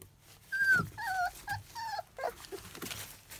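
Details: Field-type Labrador Retriever puppies, 27 days old, teething and chewing on everything: a run of short, high, whistled whines sliding downward, four in quick succession, then a few softer squeaks and yelps, with rustling in a small room.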